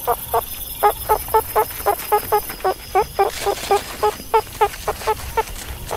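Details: Quick, regular string of meerkat chirps, about three or four each second, each a short bright harmonic note, with faint hiss behind.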